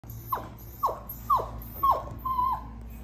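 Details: Flat-coated Retriever puppy, a black female, the only black one among her siblings, giving five thin falling squeals in a row, roughly two per second, the last one drawn out and level, over a quiet low hum.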